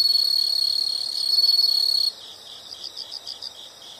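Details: Insects sing a loud continuous high trill for two seconds, then drop to quieter rhythmic chirps, about four pulses a second, in short groups.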